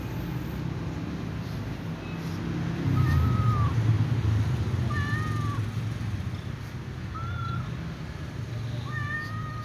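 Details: White cat meowing while huddling and eating with other cats: short, thin, rising-then-falling meows repeated roughly every two seconds, four in all, over a steady low rumbling background.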